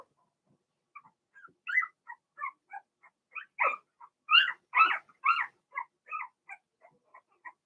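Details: Cavalier King Charles Spaniel puppies, a Blenheim litter of two females and four males, whimpering in their pen: a steady string of short, high yips and whines about twice a second, louder in the middle.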